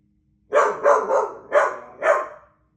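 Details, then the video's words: A Doodle dog barks at birds: five quick, mid-pitched barks in about two seconds, the first three bunched together and the last two more spaced. "Barking at the Birds"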